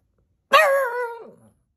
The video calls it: Cute Dog barking - Cute PUG barks!